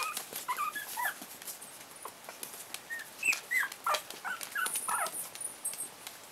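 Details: Four-week-old Chihuahua puppies, seven-eighths Chihuahua and one-eighth pug, playing with their mother indoors: thin high squeaks and short whimpering yips come in quick irregular bursts, mixed with scuffling and clicking sounds of movement.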